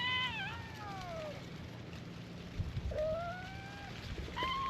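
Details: Stray cats gathered on a cat island welcome a visitor by calling together. Drawn-out meows slide downward in pitch, then a long rising-and-falling meow and a brief closing cry. Faint rustling sounds underneath.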